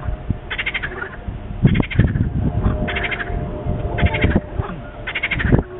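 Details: Wetland centre frogs, described as small, repeat grating, pulsed croaks roughly every second, five bursts, with faint lower clicks and rumble between them.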